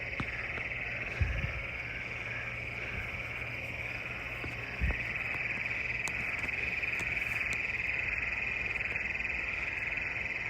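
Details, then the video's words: Frogs singing at night under the moon in Western Kansas; a dense, steady high trilling chorus runs without a break, with a couple of low thumps near the recorder. "Moon and Frogs Singing"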